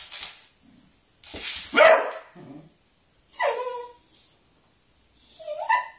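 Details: Dogs at play, a Beagle eager to play with a Kerry Blue Terrier: a short soft bark, a loud rough bark, then two whiny, falling yelps spaced about two seconds apart.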